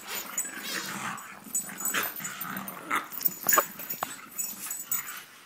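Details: French Bulldog and English Bulldog play-wrestling in a second round, with rough growls, snorts and short yips in uneven bursts, loudest near the middle.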